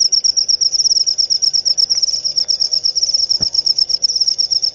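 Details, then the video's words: Shrill cricket chirps repeated in fast pulsing bursts, bright and metallic, with one short click partway through. "Suara Jangkrik"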